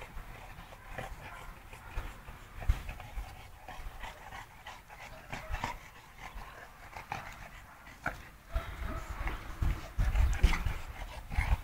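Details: Dog panting from a kennel keeping Sarplaninac and Shar-Pei dogs: soft, breathy rasps repeat quickly and unevenly, roughly three per second, over a steady rushing background with occasional louder puffs near the end.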